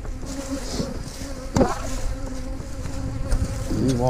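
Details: Honey bees droning at hives in a yard where colonies are being split, a steady layered hum broken by a loud thump and handling noises, with a man starting to speak at the close.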